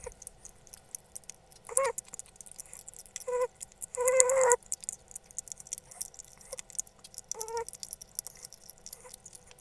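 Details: A pet female hedgehog gives a few short, nasal, whining squeaks at irregular intervals while eating something very tasty, with faint clicking behind.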